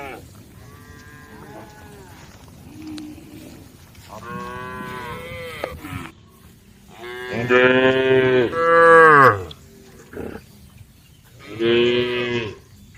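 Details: A herd of cattle at a forest road's edge gives a series of moos, faint at first and then a loud, drawn-out bellow near the end, with a final shorter call and quiet pauses between.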